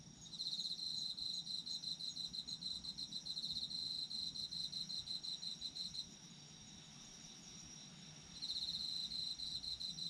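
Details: Autumn insects singing for sleep: a bright trilling band of rapid pulses near the top of the range, in bursts of several seconds with a short lull around the sixth second, plus a steady background of other chirping insects.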